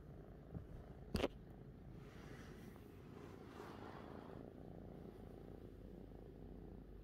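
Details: Fifi, a pet cat, content with its owner; a soft, steady low purr runs throughout, broken by one sharp click just after the first second.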